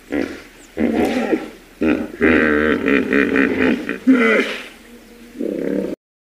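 A hippopotamus gives loud, groaning honks in short bursts, some bending up and down in pitch.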